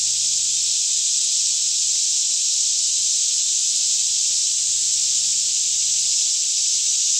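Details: Daytime cicada chorus all around a lush Kentucky woodland near Franklin at roughly 10am in calm air, Canon 5D Mk2 recording: an even, piercing sizzle of overlapping insects holding one steady level, with a quiet low drone below.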